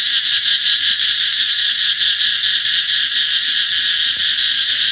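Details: Cicadas singing loudly as summer approaches: a dense, steady, high-pitched shrill buzz that holds unbroken throughout, with a faint pulsing texture and no other clear sounds.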